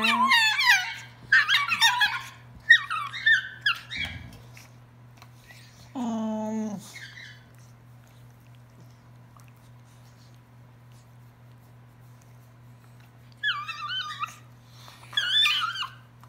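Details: Two dogs, Nubby and Dinky, going crazy while playing wildly indoors: bursts of high, wavering squeaky cries, then a steady low drawn-out whine lasting about a second, then more squeaky bursts after a quiet stretch; steady low hum throughout.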